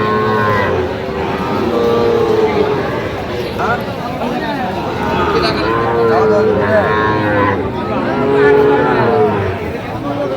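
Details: Lowing from Sahiwal bull calves, roughly five months old, at a Noakhali cattle market in Bangladesh. Several moos rise and fall across the stretch, each a bowed harmonic call, with people haggling and talking throughout.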